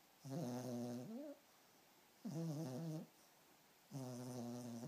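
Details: Asleep, Harli the Pomeranian puppy gives three long, harmonic, wheezy snores, each lasting about a second with a slightly rising whistle at the end, spaced near two seconds apart against near silence.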